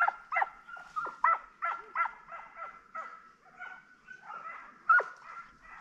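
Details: Transylvanian Hounds, young dogs in midsummer wild boar hunting training, giving a run of sharp, high yelping barks roughly two per second, with a few drawn-out whining notes between them.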